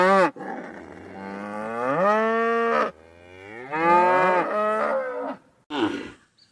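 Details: A village cow gives long, loud moos with a rich, harmonic tone, each rising then holding steady.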